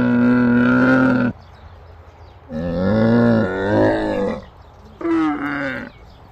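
A camel gives three loud, harsh, moaning bellows, each about a second long, wavering in pitch with a rough gurgling tone and short pauses between.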